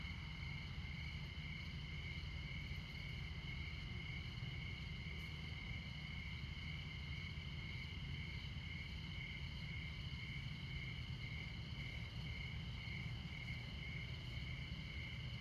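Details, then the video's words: Montana crickets in the midnight darkness near Interstate 94 sing a high trill that pulses slightly in its lowest tone. Heavy, continuous road rumble sits below. "Midnight Montana Crickets"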